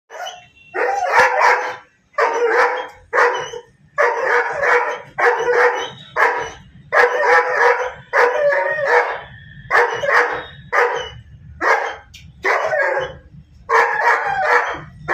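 A German Shepherd barks angrily in rapid, harsh bursts, pausing briefly between volleys.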